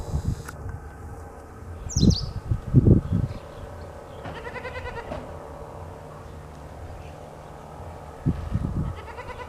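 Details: Morning scene of a young goat suckling milk from its mother. Dull thuds from the feeding come early, then a brief quavering bleat rises midway, and more low bumps close the recording.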